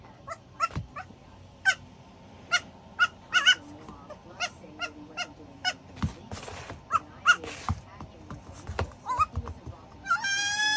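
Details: A 4-week-old goat kid, being tucked in to sleep in a slipper, gives a run of short, squeaky, nasal bleats and chirps in quick succession.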